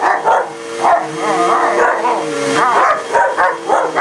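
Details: Two pet dogs, a German shepherd and a shepherd/husky mix, attack a vacuum cleaner: dense, overlapping barks with whiny, wavering yelps, roughly two a second, above a continuous motor hum.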